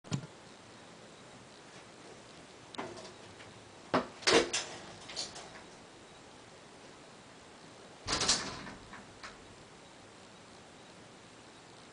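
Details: Indoor thuds and scraping clicks, like doors or cupboards being moved, over a quiet room background, with no animal voice heard.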